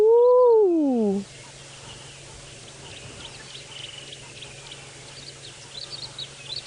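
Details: A hyena gives a single loud, hollow, downward-sliding whoop in the background, calling for about a minute during a warm late-morning safari drive on 19 November 2017 in Sabi Sand, South Africa, near where a leopard had been calling.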